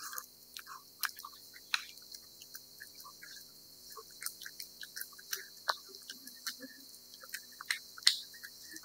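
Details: A cat laps and chews wet food, producing uneven moist clicks and smacks with a few louder crunchy bites scattered through, over a faint steady hiss in a quiet room.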